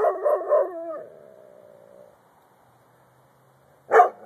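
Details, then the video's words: Dog named Luigi, recorded on a phone, giving a wavering, howl-like yowl that trails off into a long thin whine, then silence, then one sharp loud bark near the end. "luigi barking"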